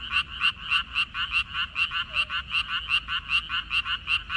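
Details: Close, loud frog croaks from a water-parsley field in May 2021: harsh, buzzy pulses in an irregular run, about two or three per second, with overlapping callers and a quiet backdrop.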